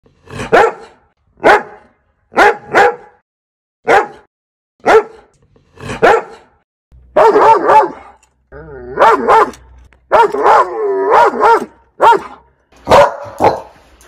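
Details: Dog barking, part of a loud multi-breed compilation: short sharp barks singly and in pairs about every second, then denser overlapping barks with a whining, wavering tone between them.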